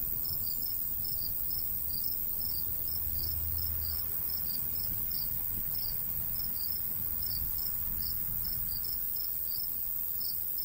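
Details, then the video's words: Summer countryside crickets by a golden wheat field: rapid bright chirps in quick regular bursts, some in clustered pairs, layered on steady high buzzing and a soft low breeze rumble. "Countryside/cricket sounds"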